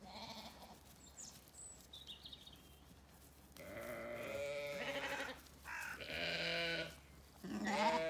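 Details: In a County Kilkenny orchard on a sunny day, Zwartbles ewes and lambs give a series of quavering bleats of varied pitch, some overlapping, after an opening of quiet birdsong.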